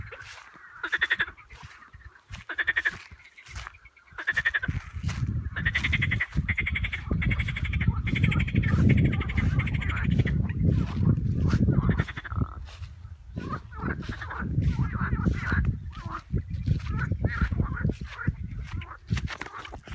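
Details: Frog croaking: nasal, harmonic calls repeated in quick bursts, several per second, over a loud low rumble that swells and fades throughout.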